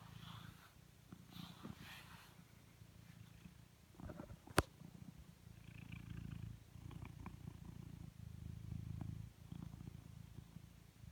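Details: A blue British Shorthair cat purrs steadily, a deep low rumble that pulses in long waves.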